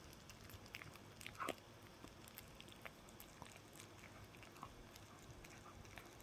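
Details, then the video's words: Indoor dog working at a chew, quick crackling bites clustered early with a loud crunch around the first and a half seconds, then sparser clicks over faint hum. "강아지가 개껌 먹는 방법"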